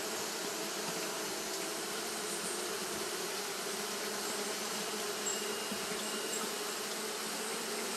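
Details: Japanese honey bees fanning non-stop on a hot day, producing a steady droning hum with a low fundamental and stacked harmonics, unbroken for the whole stretch with no other clear sounds.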